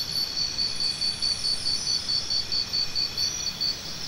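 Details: Steady cricket chirping: sharp, high pulses repeated about three times a second without a break, over a constant insect hum.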